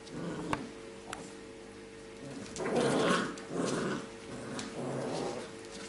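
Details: Labrador Retriever puppies of a B litter playing together, relaxed and fooling around indoors: three low, rough growling bursts in the second half, each under a second long, over a steady background hum.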